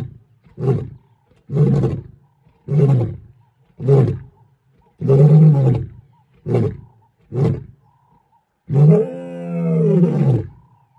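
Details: A lion gives a series of deep, throaty grunting roars, ending in one long, drawn-out bellow.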